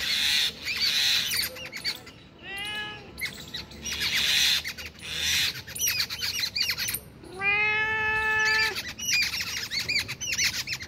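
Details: A cat, found two kilometres from home, gives two harmonic meows: a short arched one and a longer, level, drawn-out cry. A dense chorus of chirping, squawking birds fills the background throughout.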